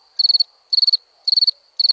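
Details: Cricket chirping at night in India: short high-pitched chirps of about five rapid pulses each, repeated roughly twice a second in a regular rhythm, with a faint steady hum between chirps and no other clear sounds.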